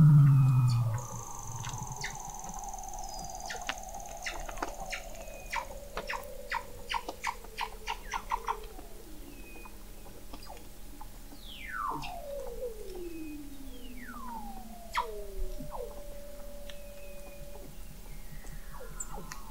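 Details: Weddell seals recorded in November 2017 by the McMurdo Oceanographic Observatory, 21 m below sea ice in McMurdo Sound, Antarctica: long descending whistles, steep downward sweeps and rapid clicking trains overlap, with a steady low hum beneath.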